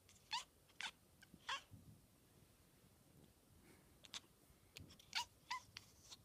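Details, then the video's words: Pet cat fixated on a fly, making a funny noise: scattered short, crisp clicks and chirps come in uneven bursts, with soft low thumps in between. The setting is quiet and indoors. "Cat makes funny noise"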